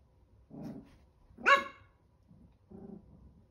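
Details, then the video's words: Chihuahua puppies, 13 weeks old, that fight every day, sounding off while fighting: a short low growl, then a sharp, higher yelping bark, then another low growl, three bursts within about three seconds in a quiet room. "13 week old chihuahua puppies : they fight every day"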